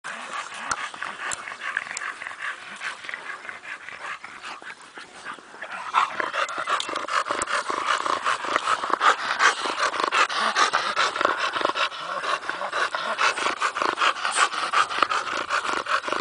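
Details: Bulldogs enjoying a day in the sun, sliding about; quick, breathy panting, about two and a half breaths per second, noisy and uneven, growing louder and denser after six seconds.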